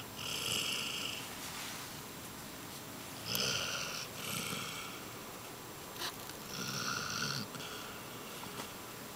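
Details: Lilly, a female Basset Hound, snoring while asleep indoors; breathy, hissing snores in bursts of about a second, with quieter noisy breaths between them.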